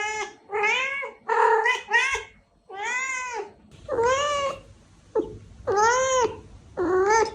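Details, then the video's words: Cat meows intended to lure cats: a rapid run of short meows followed by longer arching calls about once a second, over a soft background rumble. "Meows to ATTRACT Cats (Meow Sounds to Attract Cats). Cats Meowing Sound Effects. Kitten Sounds"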